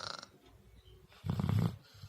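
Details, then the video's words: A dog fast asleep gives a single heavy, gravelly snore of about half a second after a soft stretch of breathing. A brief higher noise opens the recording. "dog sleeping but snoring louder than human"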